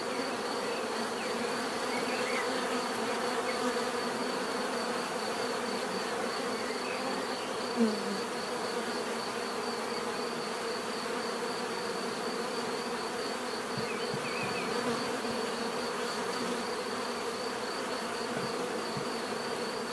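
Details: Bees buzzing in a steady, dense hum with layered low droning bands and a faint pulsing high tone running throughout, with no other clear sounds.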